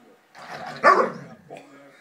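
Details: A Basset Hound gives one short, gruff bark rising out of low grumbling as she warns another Basset she isn't ready to be friends, ending their play, while a person talks over the dog.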